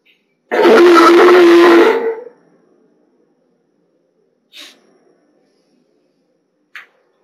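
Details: A California sea lion at an aquarium, where a mother and newborn pup were being co-reared with staff, gives one loud, hoarse, drawn-out bawl lasting over a second, then two faint, brief sounds in a quiet indoor space.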